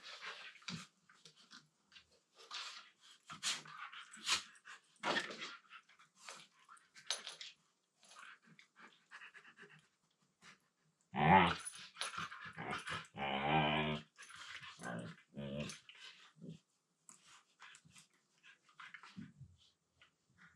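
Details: Two Siberian Huskies wrestling in a room during play; mostly scuffling, panting and thumps, then a short burst of low, harmonic grumbling talk lasting about two seconds midway, followed by more rustling.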